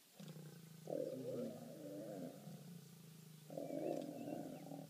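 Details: Three-legged male lion with his lioness while mating, giving deep rasping growls in two long bursts separated by a lower rumbling pause, quiet outdoor setting.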